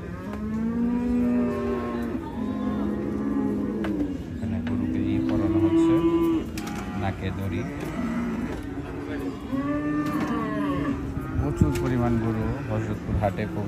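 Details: Cattle unloaded from a truck at Hazratpur market: a run of long, wavering moos, several overlapping bellows with rich harmonics across fourteen seconds, over a background of market crowd noise and vehicle rumble.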